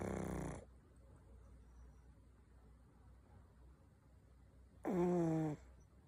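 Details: Pug snoring, two short rasping snores about four seconds apart, the second with a falling, harmonic tone, a quiet hum between them.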